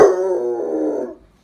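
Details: A male Basset Hound gives a single sustained, wavering howl, begging for a chicken dinner.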